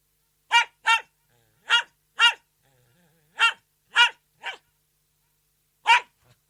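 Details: Poodle giving sharp, bright barks, mostly in pairs, eight in all over a few seconds with brief silent gaps between them.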